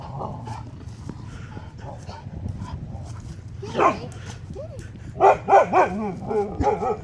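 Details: Two huskies on the Pacific Crest Trail confronting a mountain lion, August 2017: after low murmuring and a person's voice, a burst of loud, tonal, arching barks and yips comes in quick succession near the end.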